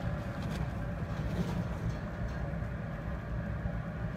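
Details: A steady low rumble like an engine or vehicle fills the whole stretch, with no animal voice anywhere.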